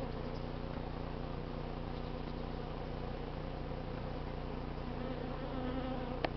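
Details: Honey bees buzzing during a hive cut-out from a crowded barbecue grill holding eleven combs, on an unseasonably cool late-summer day in the 80s; a steady low hum with a soft scrape near the end.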